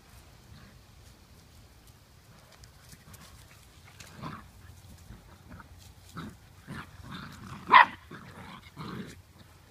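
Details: Sibling Blue Lacy puppies, male and female, at play in the yard, giving soft scattered yips and grunts that build to one sharp bark near eight seconds, with a low steady hum underneath.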